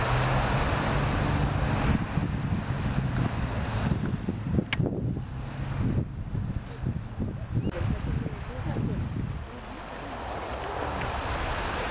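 Wind buffeting the microphone over surf and low boat-like rumble, with a few indistinct voices and no clear animal calls.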